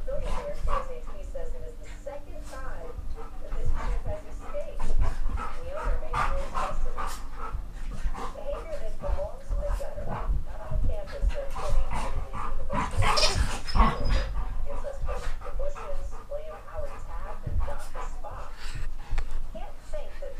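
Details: During rough play among the dogs Geordie, Ellie and Max, modulated whiny growls come in repeated waves, with a loud scuffle burst midway, low thumping throughout and human speech close by.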